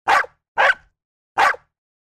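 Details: Domestic dog barking: three short, sharp barks, the first two half a second apart and the third after a pause of nearly a second, with silence between.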